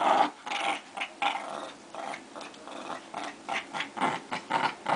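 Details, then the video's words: Two dogs fighting, a continuous run of rough, snarling growls in short overlapping bursts, rising and falling in loudness through the whole stretch. "Two Crazy Dogs Fighting"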